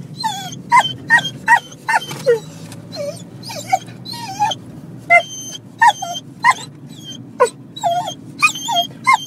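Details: Excitable pet dog gives quick, squeaky yips and whimpers in rapid bursts, roughly two per second with short pauses, each note sliding sharply in pitch, above a constant low background hum.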